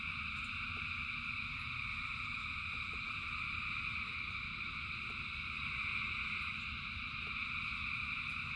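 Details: A huge frog chorus in falling rain, many voices blending into one constant high, pulsing trill with no gaps, above a persistent low rumble and scattered soft ticks.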